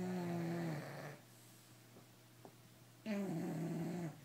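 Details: Bulldogs asleep at night snoring: two long, low, buzzy rasping breaths, each about a second long, separated by a quieter pause with faint breathing.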